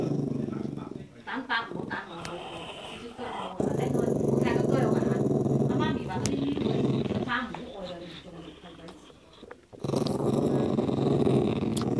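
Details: Rumbling growls from a dog eating a meaty bone, grumpy at anyone approaching. Two sustained growl bouts are interrupted by a stretch of human speech in between.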